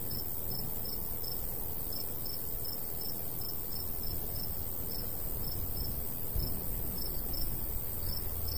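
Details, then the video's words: Crickets chirping in the summer countryside beside a golden wheat field, with a light breeze. Short high chirps repeat steadily about three times a second over a deep, constant rumble of wind. "Countryside/cricket sounds"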